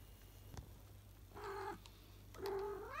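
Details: Salem, a house cat, calls in the late afternoon while exploring the house after his daytime nap. Two drawn-out meows follow each other about a second apart, the second one rising sharply at its end, over a low steady indoor hum.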